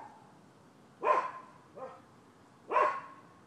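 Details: Barking from neighbors' dogs, dated 12/7/15. Two strong, harsh barks come about one and a half seconds apart, with a softer, shorter bark between them, over light background noise.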